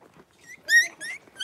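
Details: Blenheim Cavalier King Charles Spaniel puppies, a litter of five born around New Year's to Paris and Spike, in a home puppy pen on 26 January 2023; brief high squeaky whimpers rising to one loud, sharp squeal, then two shorter cries.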